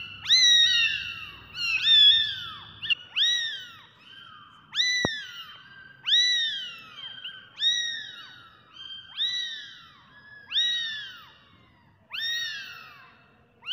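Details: Kittens give high, thin meows, each arching up then sliding down, repeated roughly every second or two.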